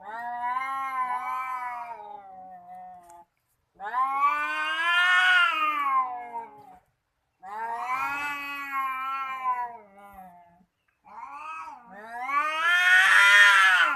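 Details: Domestic cats in a threatening standoff, trading drawn-out, quavering yowls in separate bouts split by short silences, the last wail rising and growing loudest and harshest.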